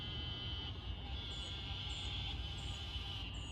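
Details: Eastern narrow-mouthed toad in a small trailside wetland in an Atlanta urban greenspace, evening in June, gives a steady, nasal, buzzy bleat without a break, with faint high chirps above and low wind or traffic rumble.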